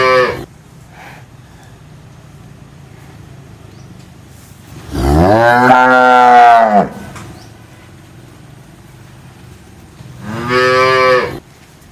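A cow gives two long, low moos, rich and droning, the second shorter than the first.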